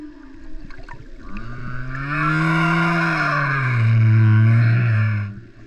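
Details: Singing humpback whale in Tonga's Vava'u waters, giving a long, low, mooing moan that swells and climbs slightly over about four seconds, layered with a buzzy higher tone and dense overtones.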